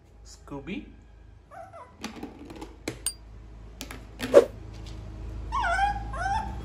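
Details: Shih Tzu puppy named Scooby whining indoors during its daily routine with a new toy: a few short, high, curving whimpers, the last pair longer and sliding downward, mixed with a person's voice and soft clicks and taps.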